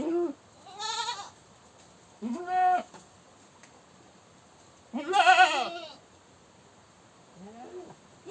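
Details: Goat screaming with loud, harsh bleats, four separate cries spaced irregularly, each a wavering, strained call with rich overtones, the third loudest and longest, the last fainter; quiet background between calls.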